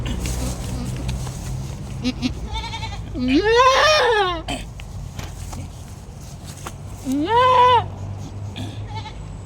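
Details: Domestic goat in labour giving two strong, drawn-out bleats, each rising then falling and lasting about a second, roughly four seconds apart, with quiet clicks and handling noise in between.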